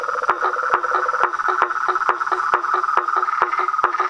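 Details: Frogs and tree frogs massed at a pond after dark, calling near a house: busy clattering pulses, several each second, above a droning trill that never stops.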